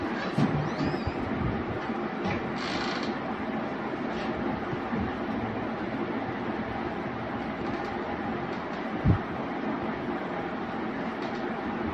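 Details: Steady rumble of a moving vehicle, like a train or subway car, with a few faint bits of speech and a brief knock near the end.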